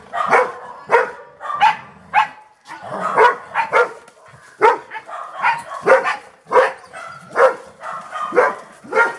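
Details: A Golden Retriever barks in a rapid, uneven series of sharp, loud woofs, roughly fifteen in nine seconds, some in quick doubles, with short pauses between bursts and no other clear sounds.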